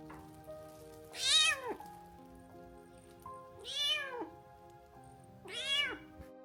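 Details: Rescued stray domestic cat, found shivering in cold 6 °C rain and begging for help, meows while lying down to warm up: three loud, rising-then-falling plaintive meows about two and a half seconds apart over soft background music.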